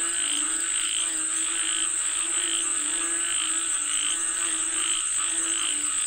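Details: Frogs calling for rain in a steady chorus: rasping pulses repeat about twice a second above a bed of low harmonic croaks, with an unbroken high whine running underneath.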